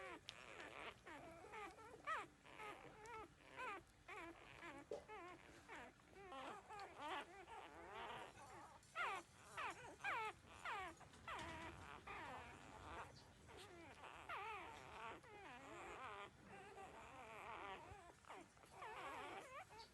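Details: Thirteen-day-old newborn puppies nursing from their mother and drinking milk, keeping up a dense chorus of overlapping high squeaky whines and whimpers, several pups at once, rising and wavering in quick bursts throughout.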